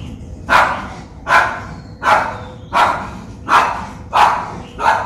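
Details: Japanese Spitz dog in Colombo, Western Province, Sri Lanka, filmed on a Nikon COOLPIX P1000, barking in a steady series: seven sharp, loud barks spaced roughly every three quarters of a second, with faint background hum.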